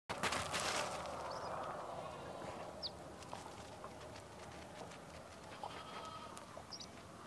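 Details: Sheep grazing on a farm in the morning; a short bleat near the start, followed by quiet grassy background with brief high bird chirps scattered throughout.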